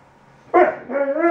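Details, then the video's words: A 5-month-old Alaskan Malamute puppy complains in a short, talkative whine with wavering, harmonic-rich tones. "Talkative Alaskan Malamute Puppy attacks scary oven mitts"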